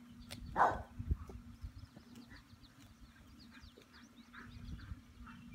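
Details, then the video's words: Dora, a farm dog at Serenity Farm, reacting to thunder with one loud short bark, then faint scattered chirps and a steady low hum. "Dora Barking at Thunder"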